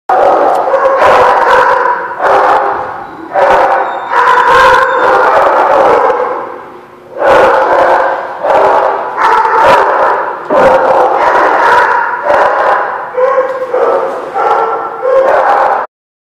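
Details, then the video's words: Dogs in a barking lot, recorded 5/16/16: many overlapping loud barks and howl-like yelps in dense volleys, a brief lull near the middle before the chorus resumes, then abrupt end. "The Barking Lot"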